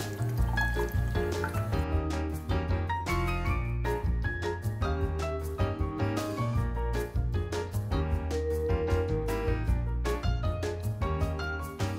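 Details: Upbeat instrumental music with a bass line and bright melodic notes plays throughout, with no animal voice heard.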